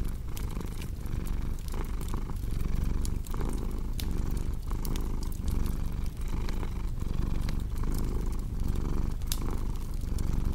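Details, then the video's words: A cat's continuous low purr, rhythmic rumbling cycles about every second, accompanied by snapping crackles from a burning fireplace throughout. "Purring Cat with Cozy Crackling Fireplace Sound"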